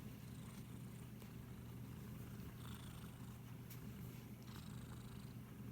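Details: A cat purrs continuously under stroking, recorded on an iPhone SE; the rumble is low and even, with faint scratchy rubbing sounds over it.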